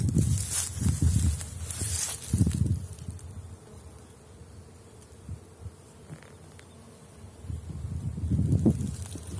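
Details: Honey bees at the Bee Royal apiary on 6 April, at the start of willow blossom. Low droning buzzes swell and fade as bees pass close, loudest near the start and end, with a quieter hum and faint hiss between.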